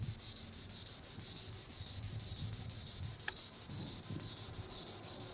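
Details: From high in the treetops, a green annual cicada (Tibicen linnei) gives a shrill, sizzling buzz that throbs in regular waves roughly twice per second, with a brief faint click near the middle.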